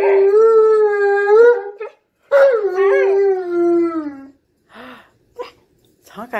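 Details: A male Alaskan Malamute 'talks' in long, wavering, howl-like vocal phrases that rise and fall in pitch, teasing a female Husky by calling her a name.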